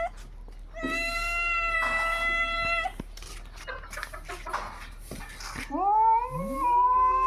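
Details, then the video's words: Cats fighting at 3 AM: a long, high, strained caterwaul held steady for about two seconds, a second shorter wail, scuffling and rustling, then a rising, wavering howl that climbs and holds. "Wait for the scream!"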